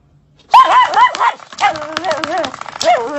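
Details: A dachshund at play, tussling with a door stopper, breaks into loud, continuous high-pitched yapping and wavering whines after a short quiet start, with some clatter mixed in.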